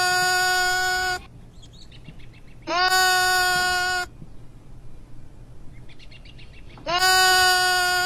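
Young goats give loud, nasal bleats, each held about a second, with quiet gaps between.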